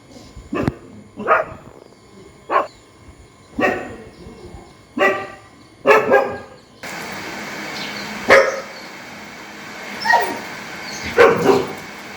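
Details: Dog barking loudly and angrily, recorded outdoors: harsh, broadband barks repeated every one to two seconds, some in quick pairs, with a steady background hum in the second half.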